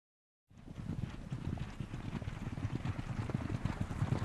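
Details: Horses on the move, a steady run of dull hoof thuds at roughly two per second, low and irregular, with a broad noisy rush behind them and no clear neigh.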